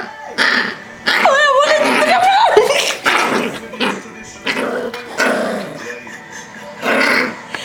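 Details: Pet Yorkshire Terrier named Rocky protesting loudly while tickled and held against a knee; a high whining yelp slides upward, then bursts of growling and yapping, mixed with human laughter and talk.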